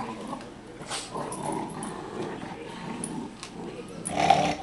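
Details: Pika, a dog, playing tug with her puppies and letting them hold on, makes soft low growls and snuffles, ending in a brief higher squeal, with a few sharp clicks and rustles.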